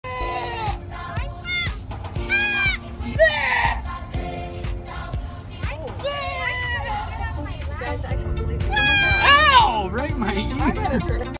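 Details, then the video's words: Goat copying noises made by a man: wavering, quavering bleats with rising and falling tones, trading back and forth with the man's own imitative calls and speech, with music-like sounds in the background. "Goat copying guy making noises."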